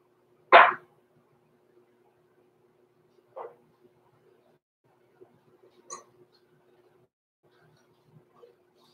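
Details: Overnight in the Red Barn Cavaliers puppy pen, a six-week-old blenheim Cavalier King Charles Spaniel puppy from a small litter gives one loud, abrupt yelp, followed by two fainter yips and soft shuffling over a steady low room hum.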